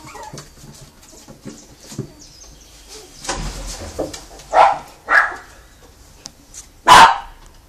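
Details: Brazilian Terrier puppies from a kennel litter in Joinville, Santa Catarina, Brazil: quiet shuffling and small whines, then three loud sharp barks about half a second to two seconds apart.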